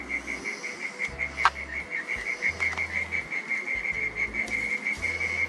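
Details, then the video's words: Garden mole cricket at dusk, calling from underground: one steady, shrill, continuous trill on a single high pitch, rapidly pulsed, with a brief faint click near the middle. "Mole Cricket Song"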